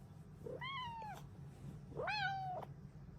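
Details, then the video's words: Happy female Bengal cat meowing in the morning, as if saying it is time to start the day. Two clear, drawn-out meows about a second apart each rise quickly and then slide gently down, over a steady low household hum. "Happy Kitty noises!"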